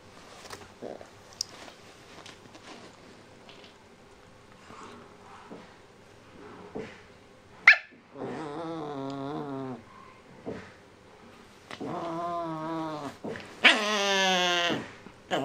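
A Shiba Inu puppy makes drawn-out, wobbling whines and yowls that bend up and down in pitch, each burst lasting one to two seconds. A person's brief voice and household noises are heard in the background.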